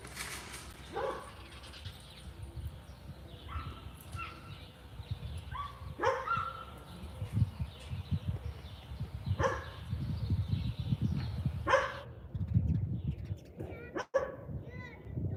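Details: Rottweiler at the Rotty Ranch during a live discipline training session, giving several short, sharp barks spaced a few seconds apart over a steady low rumbling background.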